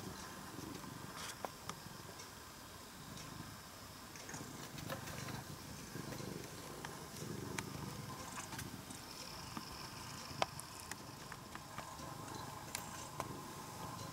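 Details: Former stray brown tabby cat, cared for over three years and now coming into the house, purring steadily in a low rumbling pulse, with faint clicks and light household noise above.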